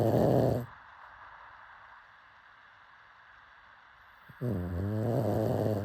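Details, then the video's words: Deep, vibrating snores from a sleeping pug: one snore ends at the start, a quiet pause follows, then a longer rattling snore begins. "Pug snoring"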